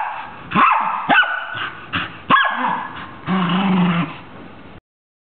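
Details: A Scottish Terrier "singing" to a Christmas carol. Four quick sharp barks give way to a low, drawn-out growling moan lasting about a second, then silence.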